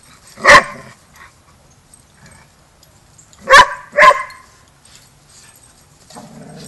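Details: Border Collie boot camp pack session with young pup Rammstein learning to get along: one loud bark, a pause of about three seconds, then two quick barks in succession, with soft background noise.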